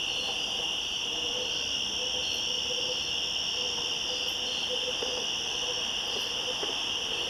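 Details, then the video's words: Woodland cicadas at the top of the switchbacks, 1 September 2014, trading calls in a continuous shrill buzz; two bright layered bands hold steady for the whole stretch, with a soft intermittent lower tone. "Cicadas Yammering At Each Other In The Woods"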